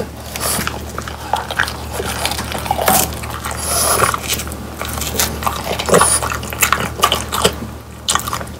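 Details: Indoor ASMR of French Bulldogs Pang, Kun and Ppo munching crispy dried quail. Dense, rapid crunching and bone-cracking bites run almost continuously, with a constant low hum beneath.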